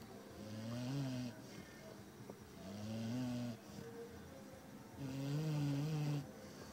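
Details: Zuro the Labrador snores steadily, three rumbling, humming breaths roughly every two seconds, each with a slight upward bend, in a quiet indoor setting.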